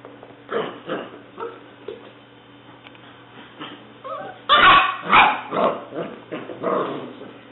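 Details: English Springer Spaniel puppy named Leah, a black, white and tan tricolour female six weeks old, recorded 5/11/09: a run of high yips and whimpers builds into a burst of louder, rapid barks, over a steady electrical hum.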